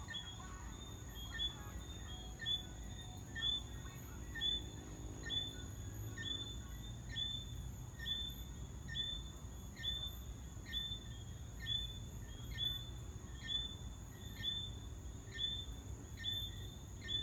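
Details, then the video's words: Tree frogs, taken for crickets, give sharp, high chirps about once a second over a steady insect whine at Long Mountain Country Club, Kingston, Jamaica. "Sounds of Jamaican crickets (actually, tree frogs)"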